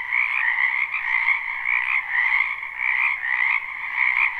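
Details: Croaking frogs in a spring wetland, recorded live without looping; overlapping trills form a steady chorus that pulses in loose swells roughly once a second, bright and high-pitched.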